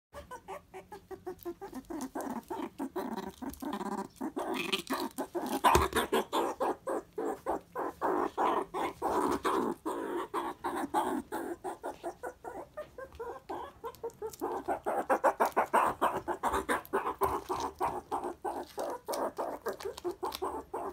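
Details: Pet meerkat kept at home, very excited while eating a favourite animal jelly snack, gives a rapid, continuous stream of short harsh pulsed calls, about three per second, swelling louder around the middle and again near the end.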